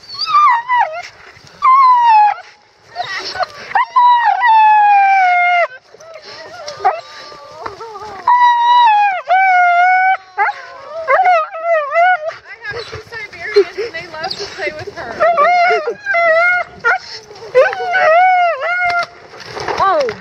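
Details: Siberian Husky Roxie, a female, sheltering from a downpour while hiking in Staunton State Park, Colorado, whining excitedly at seeing horses: high, wavering whimpers and yelps sliding up and down in rapid bursts, with brief pauses and faint human voices.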